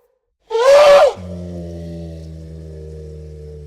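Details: Elephant giving a short, sharp, brassy trumpet of under a second. It is followed by a long, low, steady droning hum.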